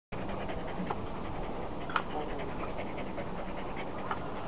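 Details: An excited pet dog looking out a window indoors, breathing in fast, steady, breathy pants that run without pause under a low hum, with a couple of faint clicks or scratches.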